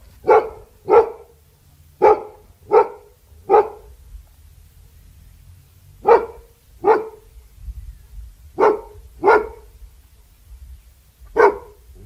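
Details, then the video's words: Repeated barking from a Labrador Retriever, delivered in pairs and small groups of short, punchy barks separated by brief pauses, with a low rumbling background noise. "LABRADOR LATINDO 🐕 LATIDO DE CACHORRO 🐕 SOM DE CACHORRO🐕 LABRADOR DOG BARKING"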